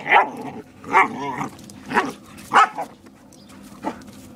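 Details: Borador barking to protect its owner from a German Shepherd while two dog friends play; five sharp barks, about one every second, the last softer, over a low steady hum.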